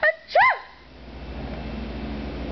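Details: Domestic cat Oliver, who cries every time his owner sneezes, gives two short meows: a brief high note, then a louder wavering cry that rises and falls. Quiet room hum follows.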